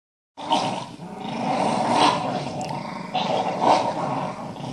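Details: Staffordshire bull terrier growling during a ball hunt with another Stafford and a Parson terrier: a continuous rough, noisy growl that swells into louder bursts around the second and fourth seconds.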